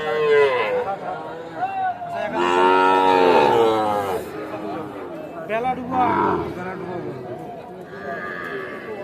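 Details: At the Aftabganj cattle market in Dinajpur, Bangladesh, on 8 October 2024, Sahiwal bull calves give a long, full, harmonic moo of about two seconds, then shorter calls, amid chattering buyers and sellers.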